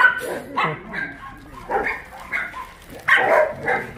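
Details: Rescued dogs playing at Yangsan's Mindeulle abandoned-dog shelter in South Korea; separate bright bark bursts about every half second to a second, the strongest near the end, over low murmured human speech.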